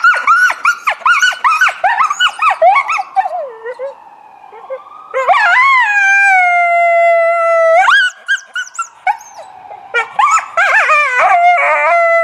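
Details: Coyote calling in response to a passing ambulance siren, recorded February 20, 2018; rapid yips and barks at first, then long sliding, wavering howls, ending in a burst of quick yips and a final quavering howl.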